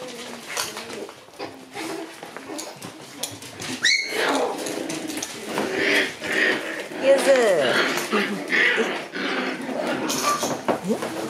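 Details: Lively Shiba Inu puppies at play in their cramped room: a sharp, high yelp around the middle, then curved whimpering squeals and short yips over constant scuffling, clattering, and pawing noises.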